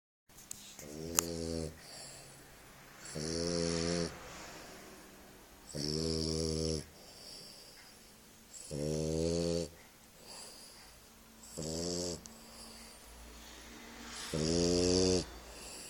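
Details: Stitch, a bulldog, snoring while asleep indoors: six rasping, harmonic-rich snores, each about a second long, come roughly every three seconds, with quiet breathing between them.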